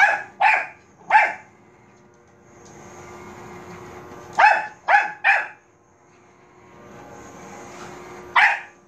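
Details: Indoor Bichon Frise called Manbok barking at a robot vacuum: groups of three sharp, high yaps, long gaps between them carrying the machine's low whirring drone, one last bark at the end.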